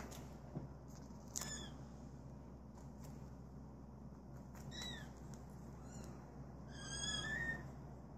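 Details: Male British Shorthair, cream coat, born 21 January 2017, uttering short soft high mews in scattered bursts, the longest near the end, among light clicks and a low hum.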